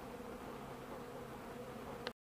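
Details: Foraging bees buzz in a soft, constant drone, out on a mild 65-degree December 2, 2012 day where cappings and honey were put out for them. A short click comes just before the sound cuts off.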